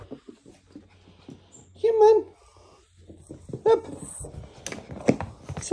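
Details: A pet Chihuahua greeting its owner indoors, giving two short, high, wavering whines, one loud near the start and a briefer one a couple of seconds later, amid a person's speech and a faint low hum.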